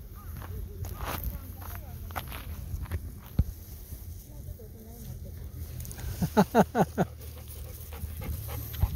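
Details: Golden Retriever setting out to play in a river; a quick run of rhythmic, breathy panting bursts comes near the end, after quieter stretches, with voices and a steady low hum underneath.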